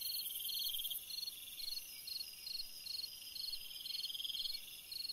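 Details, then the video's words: Cricket singing on a summer night: short pulsed chirps repeated about twice a second over a steady high-pitched insect hum. "Chant d'un grillon dans une nuit d'été / Singing a cricket in a summer night"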